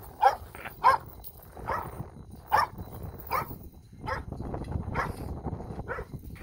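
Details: Grown puppies in the countryside, met again after forty days, bark in short high yaps spaced under a second apart, against a constant low rustle and murmuring noise.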